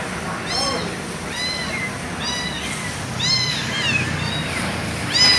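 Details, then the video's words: Discarded kitten calling again and again, its shrill, arched mews coming roughly every second over a low outdoor rumble with faint voices. "Suara anak kucing dibuang"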